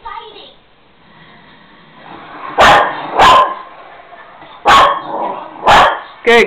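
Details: Jack Russell Terrier gives a series of sharp, loud barks about a second apart, counting out answers to addition questions such as 1+1 and 2+2, eager for treats; Jack Russell Terrier.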